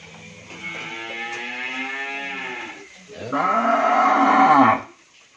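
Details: Pure Sahiwal bull calves, one of a pair weighing over seven maunds, at a dairy farm in Bhangura, Pabna, Bangladesh: a drawn-out harmonic moo, then a louder second moo that dips and rises in pitch before stopping abruptly.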